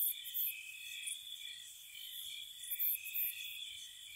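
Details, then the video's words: Night crickets in spring around a cottage, a continuous thin high-pitched trill with softer lower trilling and quick sharp ticks high above coming in short irregular clusters. "Cricket Sounds"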